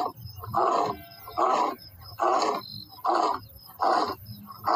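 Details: Lion roaring in a series of deep, hoarse grunts: about five in under five seconds, each roughly half a second long and separated by short, quiet pauses.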